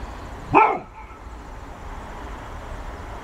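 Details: Golden Retriever barking at a ball: a single short, sharp bark rising then falling, followed by quiet background hum.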